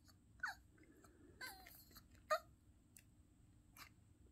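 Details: A Yorkshire Terrier, "talking" with a puppy, gives three short, high whines that slide downward, spaced about a second apart.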